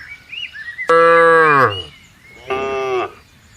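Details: Cattle being herded into a farm pen in Indonesia: a loud, sustained moo that sags in pitch at the end, then a shorter, softer moo, with bird twittering before them.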